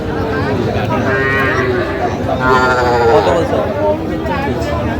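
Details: Young cattle at a Jamalpur cattle market in Bangladesh, 19 August 2025, amid farmers bargaining for small bulls and heifer calves. One short, strained moo sounds midway, mixed with men's voices and steady crowd noise.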